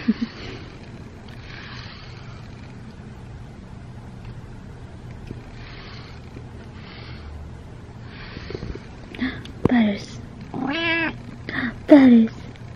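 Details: Butters, a pet cat who loves being brushed and likes to talk, meows during grooming: soft rhythmic brush strokes and a low hum, then a cluster of several drawn-out meows, rising and falling in pitch, in the last few seconds.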